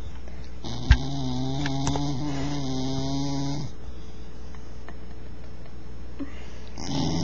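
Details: Snoring bull terrier: one long, rough, droning snore of about three seconds with a steady low rasp, a short click just before it, then quiet breathing noise.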